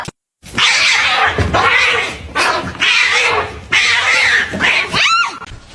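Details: Domestic cat from a compilation of funny cats, giving three long, harsh, drawn-out yowls separated by short pauses, then one quick rising-and-falling meow at the end.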